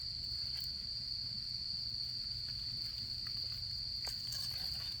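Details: During autumn camping season, insects keep up a continuous shrill, even trill beside a campfire, while scattered soft crackles of burning wood and a faint low rumble sit underneath.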